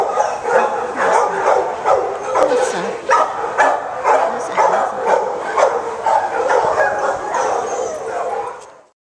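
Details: Dog barking in short, sharp bursts about twice a second, fairly steady for nine seconds before cutting off, with voices talking underneath throughout.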